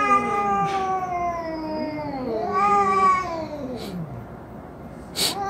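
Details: Domestic cat giving long drawn-out meows with stacked harmonics, each gliding downward over about a second, followed by shorter meows and a brief sharp noise near the end.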